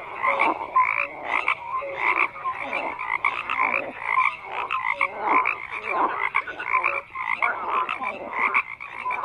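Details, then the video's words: Loud chorus of croaking frogs, numerous voices layered into a continuous pulsing din, with short bright tonal calls scattered over the rasping croaks. "FROGS CROAKING"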